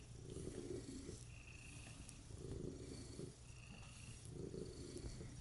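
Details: Domestic cat purring while kneading, contented and being petted on a lap: a soft, low, rumbling purr that swells with each breath about every one and a half seconds, close and quiet.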